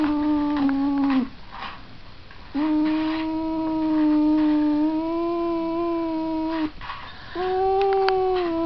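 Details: Cat caterwauling in a series of long, level moaning wails, one short, one about four seconds, then another beginning, separated by brief quiet gaps with faint rustling.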